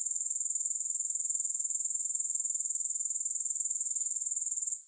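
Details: Grasshoppers in a long sleep and relaxation recording, no music: a steady, very high, shrill buzzing trill made of rapid, even pulses, holding constant before fading out in the last moment.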